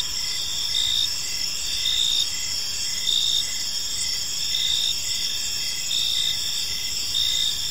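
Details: Crickets in a peaceful park at evening, a shrill ringing chorus with rhythmic chirp bursts about every second, no other clear sounds.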